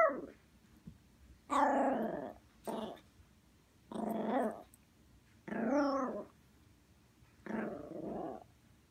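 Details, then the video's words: Indoors, a female poodle throws a tantrum after waking: six rough, throaty growl-barks, some short and some drawn out, spaced irregularly roughly every one to two seconds, over faint background hiss. "Poodle throwing a tantrum"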